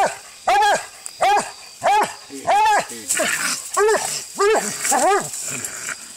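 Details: Walker hound barking during a fight while coon hunting outdoors: a steady run of loud, ringing, arched barks, about one every two-thirds of a second, each with rich overtones, and a faint background hiss.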